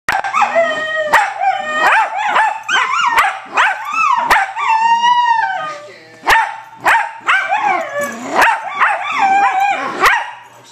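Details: Dog making a string of talking-like howls and whines, rising and falling yowls in quick bursts with one longer drawn-out note, interrupted by sharp clicks.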